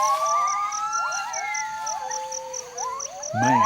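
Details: Gibbon territorial song of clear whistled notes, some long and level, others quick upward slides, over a rhythmic high pulsing buzz, ending with a louder rising swoop and low rough sound.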